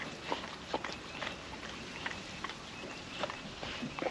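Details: Wet food eaten by a happy female puppy from a food trapper mat, windy day; irregular sticky mouth clicks and short chewing bursts against a soft windy backdrop.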